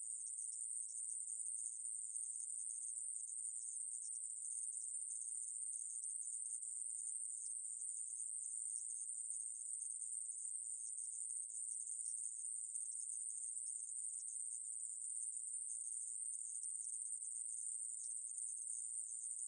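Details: Korean aemaeburi conehead katydid, from National Institute of Biological Resources recordings made in 2020, sustains a piercing, even electric-sounding buzz through nearly twenty seconds, constant in pitch and loudness, with no other sounds.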